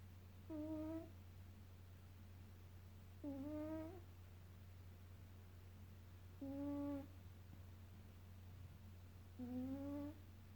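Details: Maine Coon cat snoring: four short, nasal, slightly rising squeaky tones, one about every three seconds, each under half a second long, over a steady low hum.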